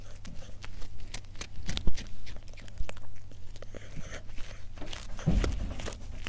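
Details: A cat eating, heard as irregular crunching and biting noises with soft chewing between them and a few louder bites, against a low steady hum.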